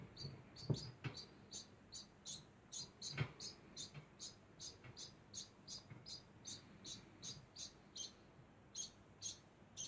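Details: Degu keeping up a constant sound of rapid, high, squeaky chirps, several per second, running throughout, mixed with occasional low knocks and thumps from movement nearby.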